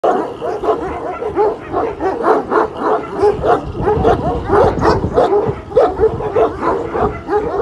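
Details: One-year-old Kangal named Pars at a Kangal dog farm, standing up to the giant dog Samuta. Deep, hoarse barks come in quick, uneven bursts of nearly two per second, continuing with little pause throughout.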